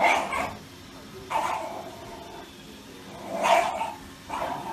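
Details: Shiba Inu dog giving four short, sharp barks spaced about one to two seconds apart, each a brief bright burst with a quiet pause between, over a low background hum.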